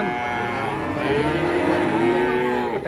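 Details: Overlapping moos from cattle on an Indonesian farm, sustained droning calls with a gently rising tone in the middle and constant background noise.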